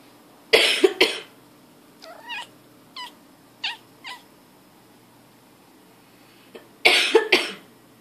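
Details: Pet cat answering a person's coughing indoors: a pair of harsh coughs, then five short, chirpy meows falling in pitch spaced under a second apart, then further coughs near the end.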